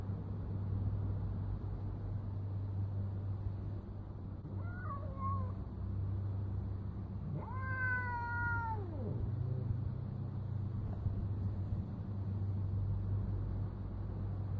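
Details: Bengal cat Dexter on a doorstep, squaring up to the local tomcat to defend his sister: a short wavering yowl, then a longer drawn-out wail that bends downward at the end, over a steady low hum.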